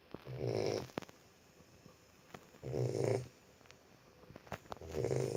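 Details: Sleeping Boxer puppy giving rhythmic low snores, three rumbling breaths spaced roughly two seconds apart with faint clicks and rustles in the quiet gaps indoors.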